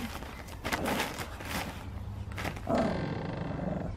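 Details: Finlay, a Tibetan Spaniel, with his first raw beef bone, unsure at first what to do before devouring it; a low rumbling growl swells in the second half over rough, crackling handling and chewing noise.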